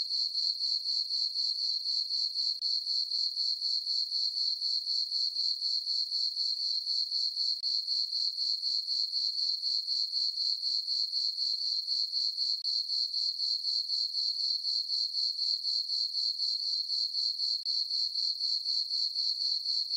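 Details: Night chorus of crickets in a moonlit summer meadow on a farm: shrill, ringing chirps repeated at a steady rate of roughly four per second, uniform and uninterrupted, with nothing else audible.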